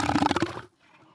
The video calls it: What does an Elephant Seal sound like? - Animal Sounds